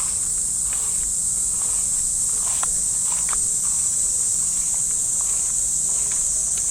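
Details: Cicadas fill the trees of a Japanese park at early morning in summer with a constant shrill, even buzz. Soft footsteps crunch along a path beneath it.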